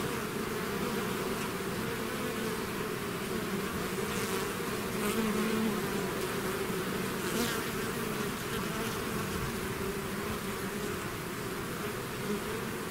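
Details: Swarming bees pouring out of their hive make a thick, continuous buzz, several humming layers stacked together, while individual bees fly past close by now and then, briefly swelling the sound.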